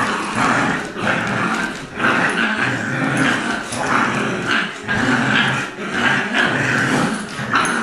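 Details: During a tug-of-war game, two dogs growl together: Colby, an adopted Lab mutt aged two, and Jack, a Golden Retriever pup of six weeks. The snarling stays steady, raspy and rising in surges about every second.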